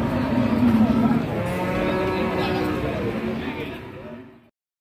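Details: Cattle at the Margorejo cattle market in Pati, Indonesia. A short, low moo is followed by a longer, steadier lowing over background talk, then the sound cuts off abruptly.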